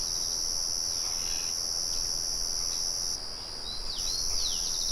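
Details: A shrill, unbroken cricket trill fills the air outdoors. It thins for a moment past three seconds, then several quick descending bird chirps arrive near the end, over a low mill hum.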